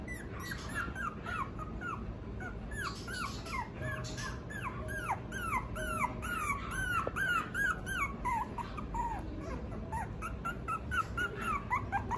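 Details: Female Toy Poodle with a thick, full coat. A long, rapid series of high, arched whining squeaks, each rising then falling, several per second, continues throughout over a steady low hum.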